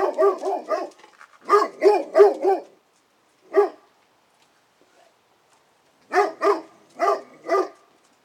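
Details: Female Great Pyrenees guard dog barking an intruder alert after seeing a strange leashed dog walk by. Deep, harmonic barks come in quick bursts of three or four, then a lone bark, then four more, with silent pauses between.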